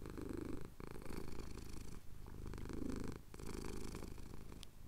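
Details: A male pet cat purrs steadily while having his chin scratched at sunrise over the Cotswold hills, recorded on a Tascam DR-07X; a low, rough rumble with brief breaks between breaths.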